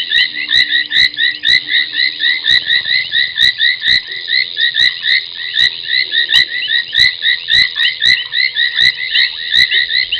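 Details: Late-night frog chorus at Gowrie dam, Djuma Game Reserve, Sabi Sand, South Africa, 23:46 on 30 January 2021: foam nest tree frogs give rapid overlapping high chirps, with irregular sharp clicks and a brief low tone early on.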